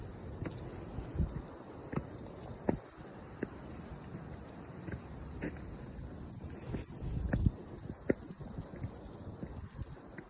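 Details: Cicadas singing after the rain on a morning mountain walk make a continuous high, hissy whine, joined by crunching footsteps and low rustling from the hiker.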